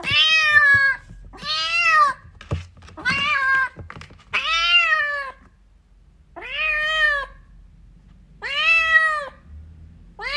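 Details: A kitten calling for its mother cat gives seven clear, insistent meows in quick succession, each arched in pitch and rich in overtones, with brief pauses and a faint indoor hum.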